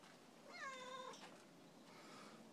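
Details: A friendly neighbour cat gives a single clear, falling harmonic meow lasting about half a second against a steady, hissy background.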